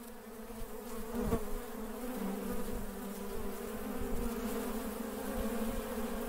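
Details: Working honey bees buzzing steadily, a dense low droning hum with layered harmonics holding throughout, occasional brief thumps and louder passes near the microphone.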